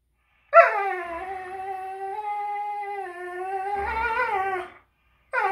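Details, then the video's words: Greyhounds fighting over a toy: one long, steady, tonal whining howl lasting about four seconds, slightly wavering and bending upward near its end, then a fresh whine starting after a short silence. "Greyhounds fighting over toy"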